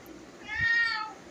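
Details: Pet cat at home with a single drawn-out meow, an arched harmonic cry lasting over half a second that rises then falls away, with quiet room sound around it.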